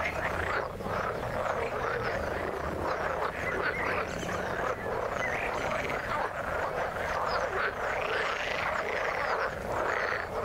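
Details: Dense frog chorus from the water: countless short croaks overlap into a steady rattling wall of sound, swelling slightly in waves without pause.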